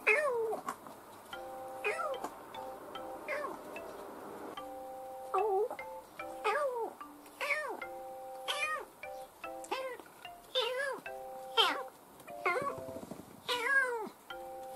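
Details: Young domestic kitten aged two to ten months, recorded indoors between June 2018 and February 2019, giving a long run of short bent meows roughly every second over soft sustained background music tones.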